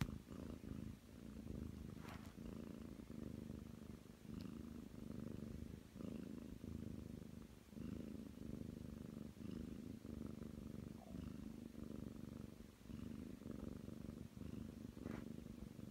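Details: Nine-month-old Ragdoll cat purring while kneading on a bed, a steady low rumbling purr that swells and fades with each breath, about one cycle a second, with a few brief sharp clicks or taps indoors.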